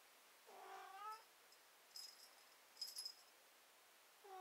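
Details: One plaintive, wavering cat meow rises then falls, followed by faint high clicks and the start of another cry at the end.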